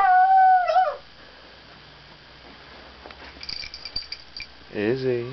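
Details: Female house dog making noises at bedtime: a steady, sustained howl that bends downward and cuts off, a stretch of quiet, then a brief rising whine at the end.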